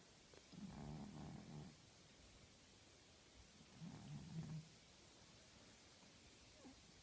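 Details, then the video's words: Sleeping pet tabby female cat snoring like a sailor: two drawn-out, low, rumbling breaths about three seconds apart, each a coarse buzzy growl. The room is otherwise quiet. "Cat snoring like a sailor!"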